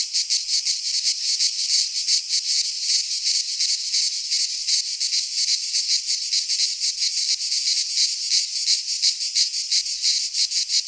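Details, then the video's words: In a Greek pine forest during midsummer, cicadas sing a loud, unbroken, sizzling drone with fast rhythmic throbbing, many voices blended together and nothing else audible. "Cicadas singing in midsummer - Nature sounds from the Greek fauna - Sounds of cicadas"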